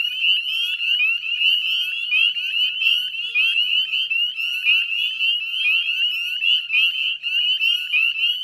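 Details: Spring peeper chorus, northern form, recorded at dusk on 18 May 2020 by the Chezzetcook salt marsh in Nova Scotia, Canada: a thick, constant mass of sharp, high whistled peeps from many frogs at once.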